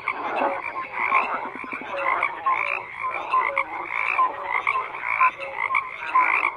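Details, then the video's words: Frogs croaking in a crowded chorus, rough buzzy croaks overlapping with brief clear notes, regular pulsing swells across the whole stretch and nothing else audible. "FROGS CROAKING"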